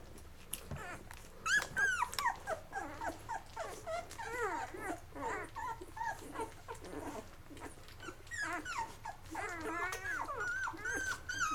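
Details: Eleven-day-old Lab puppies from Mocha's litter feeding and settling down to sleep. Clear, high, wavering squeals and whimpers rise and fall in quick, irregular bursts, several pups calling over one another.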